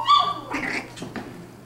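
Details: Six-week-old puppies: a brief high thin whine at the start, then a few short, rough yips and squeaks fading over the next second.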